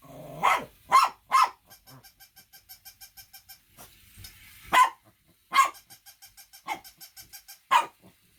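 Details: Shih Tzu barking: three quick sharp barks, a stretch of soft rhythmic ticking, then four more loud barks spaced roughly a second apart, with the ticking between.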